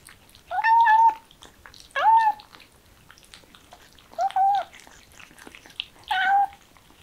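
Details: Kittens excited by the smell of chicken, giving four clear drawn-out meows, each about half a second long, steady then slightly falling, spaced roughly every two seconds in a quiet room.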